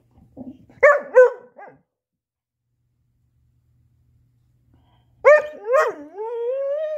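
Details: Female black Lab-Coonhound mix named Chaco working to get her ball out: two or three sharp barks, a long pause, then more barks rising into a drawn-out, climbing whine.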